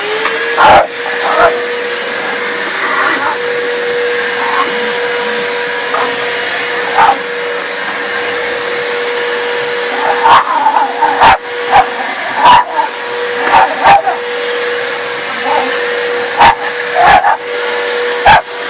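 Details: Rat Terrier indoors attacking a running vacuum cleaner, sharp barks bursting out about a dozen times over the steady droning hum of the sweeper, with brief human voices in the background.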